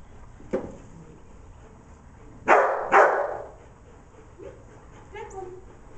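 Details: Dog herding sheep, 25 September 2011, barking as it works; a faint yip then two strong barks close together, followed by softer whining notes near the end.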